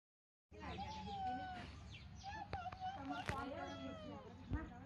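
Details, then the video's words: Kittens that came into a village backyard, meowing: several thin, high mewing calls, some rising and falling, overlapping one another, with clicks, thumps and faint background noise. "Very cute Cat kittens video, Meow meowing sound effects, बिल्ली के बच्चे"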